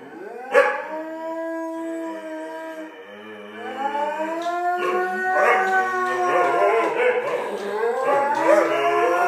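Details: Five Salukis howl together in a group song. One long harmonic howl slides down near the start after a sharp yip. From about four seconds several wavering, overlapping howls join in and build into a dense chorus.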